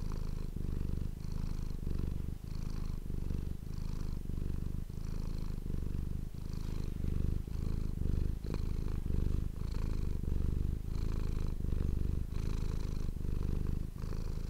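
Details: Close-miked pet cat purring continuously for an ASMR recording, a deep vibrating rumble pulsing with each inhale and exhale about every second, with a faint hiss above.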